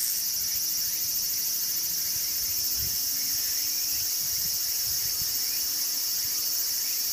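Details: Walker's cicada (tsukutsukuboushi) calling. A loud, steady high-pitched buzz runs throughout, overlaid by rapid, repeated rhythmic chirping pulses; a faint low rumble sits underneath.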